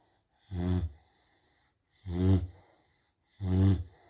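A sleeping Rottweiler snores in deep, rumbling, buzzy breaths, each lasting about half a second.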